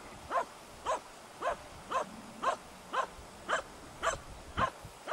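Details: A hunting dog bays over a dead deer at Salas, 8 September 2012, the dead-baying that hunters call Totverbellen: clean, evenly spaced barks, about two each second, with quiet background.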